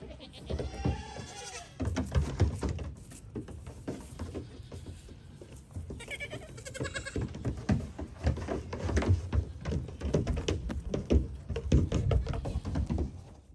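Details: Goats hop about on a little dinghy; a wavering bleat opens, another follows midway, while steady clattering hoof taps and knocks on the boat fill the rest.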